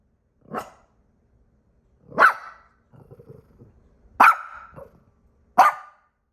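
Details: Domestic dog practicing barking and growling: four short, sharp barks spaced irregularly over six seconds, with a low, rumbling grumble between the second and third barks.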